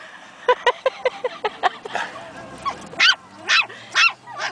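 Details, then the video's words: Pomeranian puppies Princess and Bastian practising their new voices: a row of small evenly spaced yips followed by a few louder, rougher barks over a faint background hum. "Baby Pomeranians found their voices!"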